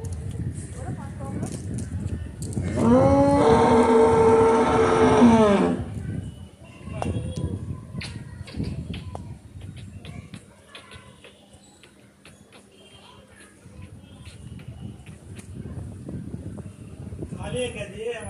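A cow gives one long, loud moo that holds steady for about three seconds before dropping away.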